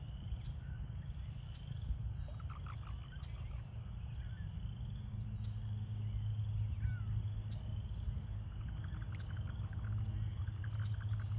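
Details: Breeding-season chorus of American toads in a puddle-filled pool where pairs engage in amplexus: a continuous high trilling drone, with scattered brief chirps and clicks above a heavy low background rumble.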